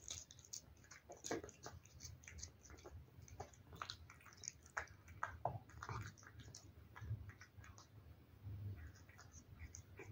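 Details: A cat chews wet food, producing rapid soft smacking and licking clicks, some louder bites standing out, in a quiet small room with low background hum.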